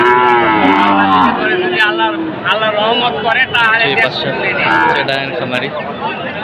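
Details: Sahiwal bull calves at the Raniganj cattle market in Dinajpur on 1 May, being bought by farmers from Chattogram. A low, drawn-out moo fills the first second and a half, over busy crowd chatter and market noise.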